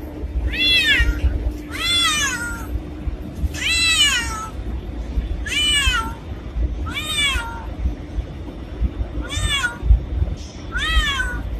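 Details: Black cat meowing in a steady series, seven bright, downward-sliding cries about every one and a half seconds, against low rumbling background noise.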